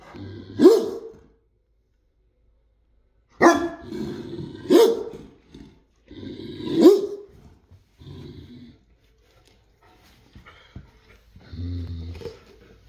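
A Great Dane gives deep, booming barks at irregular intervals, sounding a warning to guard the house.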